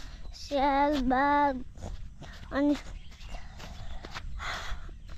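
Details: Male goat (boka) in Nepal giving two long, steady, nasal bleats in quick succession, then a short third bleat, over a rural outdoor background with faint footsteps and distant voices.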